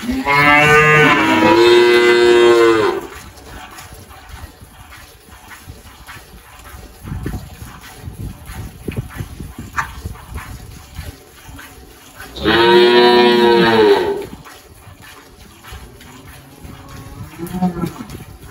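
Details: Malhada, an 18-year-old spotted Girolando dairy cow on a farm in Anápolis, Goiás, Brazil, 1 March 2023: two long harmonic moos, the first about three seconds, the second after a ten-second pause, with quiet farm background between.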